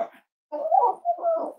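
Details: Cozy Cavalier King Charles Spaniel puppies, emotional support animals raised in a home, snuggling indoors on a warm Friday morning; a wavering mid-pitched whine rises and falls for about a second after a brief opening whimper.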